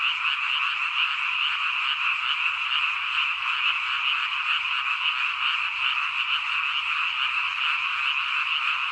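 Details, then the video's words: Frogs in the countryside form a dense, unbroken chorus of overlapping trilling croaks, a steady wall of sound with no pauses. "엄청난 ~~개구리 소리"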